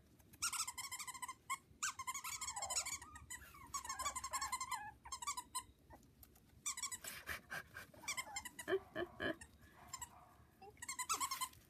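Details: Havanese puppies from a litter born October 1st, four girls and one boy, indoors among toys. Many overlapping high, harmonic whines and squeals that come in bursts, some sliding downward, with short pauses between clusters.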